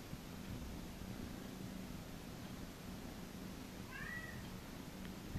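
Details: Massaged house cat at a cattery keeps up a soft, low, unbroken purr, then gives one brief, quiet, wavering meow about four seconds in before the purring continues.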